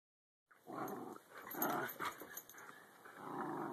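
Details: Jack Russell terriers and Belgian Malinois playing together on a deck, giving low rumbling growls in bursts separated by short pauses, with faint higher snarls mixed in.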